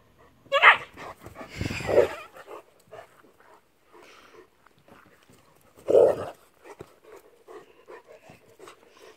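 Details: Landseer mother dog playing with her puppy daughter in a kennel; three loud, short barks or yelps, one after another, then a pause and another one, with softer huffs and rustling between.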